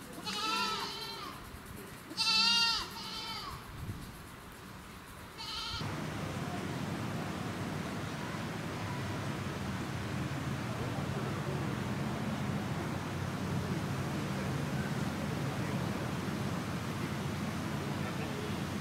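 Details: Goat kids at a farm in Bandai Kogen, Japan, where visitors interact with them; two quick vibrato bleats open the recording, followed by a long stretch of steady broadband noise.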